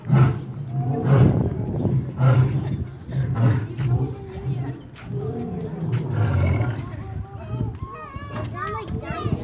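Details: Lions (Panthera leo) give deep, rumbling roars that swell and fade while people, including children, talk nearby.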